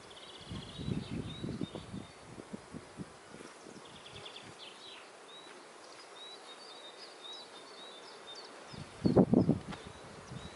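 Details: Kept honey bees around a farm hive, with soft, intermittent low buzzes early on, a quiet stretch, then a sudden loud buzzing pass near the ninth second, while birds twitter steadily in the background.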